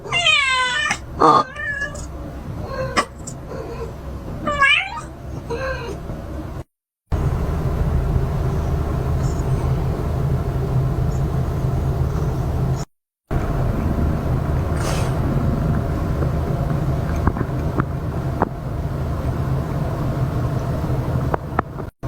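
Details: Calico cat keeping close to a mother cat during birth; a cluster of short, wavering meows and squeaks in the opening five seconds, followed by a long stretch of low hum with faint clicks.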